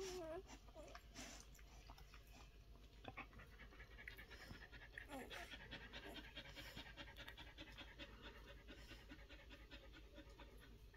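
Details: One-week-old Collie puppies: quick, breathy panting runs as steady rhythmic puffs through most of the stretch, opening with a short high squeak, while a human voice talks faintly in the background.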